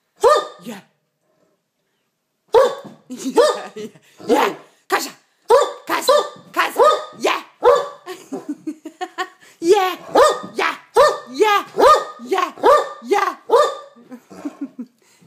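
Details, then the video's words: Indoor male Great Dane at play, barking as a box is torn up: a long run of rapid, harsh barks at irregular intervals, with a person speaking Danish and urging it on throughout. "Great Dane barks"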